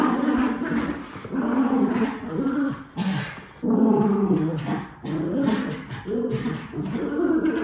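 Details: Two white Miniature Schnauzer brothers, puppies, in Aroostook County, Maine, with an energy outburst while playing; rough, harmonic growls and grumbles in overlapping bursts of about a second, with brief pauses between.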